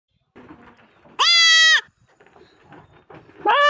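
A goat gives a loud, high, quavering bleat, with a second bleat starting at the end.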